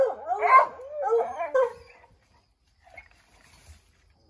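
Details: Redbone Coonhounds trying to scare a chipmunk out of an oak tree; three quick bugling barks in the first two seconds, then near silence with faint distant rustling.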